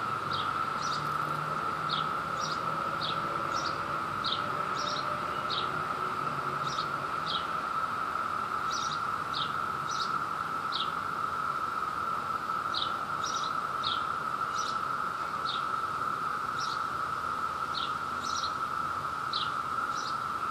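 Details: Male Brood II periodical cicada courting a female in New Jersey at peak emergence, during mating. A steady droning chorus holds one even pitch throughout, overlaid by short high chirping bursts repeated in irregular clusters across the whole stretch.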